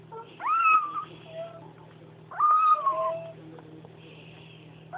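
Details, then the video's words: Eating beside its mother, a Bengal kitten produces rising-then-level mewing 'nom' cries, two full ones roughly two seconds apart and a third starting at the end, over a soft background hum and small clicks. "Kitten who makes nomming noises"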